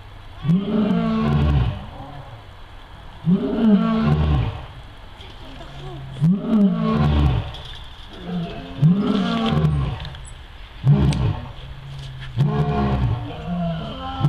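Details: Two captive lions at the Sierra Safari Zoo roaring: a series of deep, throaty grunting roars, each swelling and falling, repeated about every one and a half seconds, with faint human voices in the background.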